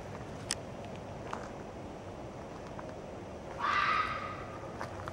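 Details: Red fox vixen screaming: a single short, harsh, hoarse shriek near the end, following quiet outdoor background hiss and a few faint clicks.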